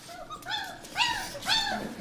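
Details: German Shepherd puppies, about three and a half weeks old, born 27 December 2013, whimpering indoors: three thin, arching whines rising and falling in quick succession within two seconds.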